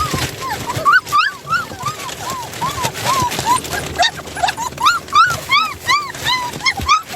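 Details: Puppy whines from a litter of seven, filmed as two pups escape their play area: steady run of short rising-and-falling squeaky yips, nearly three per second, some louder and higher, with faint room noise beneath.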